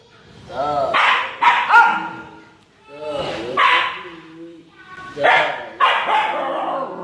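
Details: Female Siberian Husky acting jealous, giving drawn-out, wavering whines and yowls in three clustered bouts a couple of seconds apart, each breaking into sharp upward yips, over a quiet indoor background.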